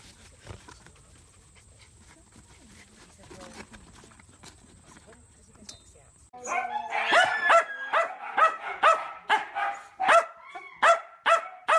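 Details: Playful miniature dachshund: six seconds of quiet room noise, then a burst of steady, high-pitched yapping barks, roughly two per second, continuing to the end.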